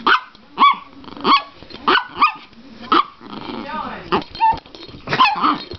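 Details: A female Chihuahua pretends to be vicious in play as a hand creeps toward her. Snappy, high yaps come roughly every half second, with a rumbling growl and a brief whine toward the end.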